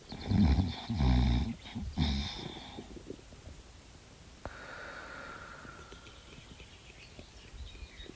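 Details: Dog fast asleep, snoring like a piggie: three loud, deep, rasping snorts fill the first two and a half seconds, then the breathing fades to a soft hiss with a single click midway.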